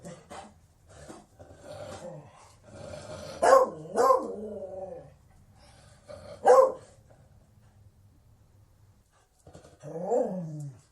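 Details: Beagle vocalising unevenly: a low muttering stretch, then two strong ringing barks close together, a lone sharp bark, and a final drawn-out baying note that falls in pitch, over a soft background hum.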